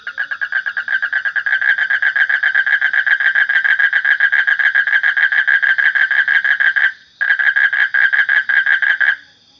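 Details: Frog giving a long, rapid train of harsh pulsed croaks, about three or four per second, nearly unbroken for seven seconds, a brief pause, then resuming; a faint steady high tone sits above.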